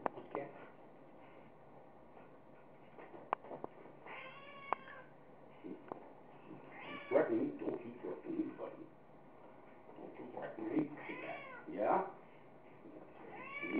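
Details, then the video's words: Munchkin, a pet cat scuffling playfully with its owner, lets out several wavering meows spaced a few seconds apart. Some are short and arched, others are longer and strained. Occasional clicks and human voices mix in. "Cat fight"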